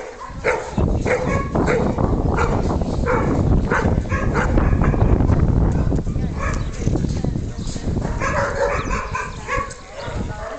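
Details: Hovawart Senda on the attack, a continuous volley of harsh barks about three per second, with some voices and strong low-pitched noise beneath.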